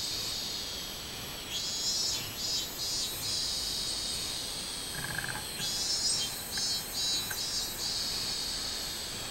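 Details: Robust cicada song recorded 24 July 2016, in two bursts of high, pulsed buzzing, each a few rapid throbs rising out of a continuous shrill insect drone, separated by a quieter gap with a short lower note.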